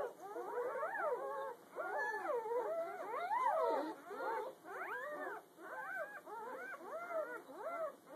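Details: Day-old litter of newborn puppies the morning after birth, a dense chorus of wavering, overlapping squeals and whines from many pups, pitch sliding up and down, almost continuous.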